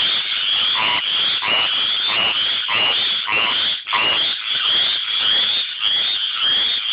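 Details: Tree frogs singing to attract mates, a dense chorus of rapid, pulsing croaks high in pitch, repeated roughly every half second with overlapping callers and lower notes pulsing beneath.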